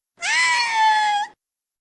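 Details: A captive female orca, trained in vocal imitation, reproducing a human word spoken by her trainers: a single clear, tonal, slightly wavering squeal about one second long, steady in pitch with a brief upturn at the end.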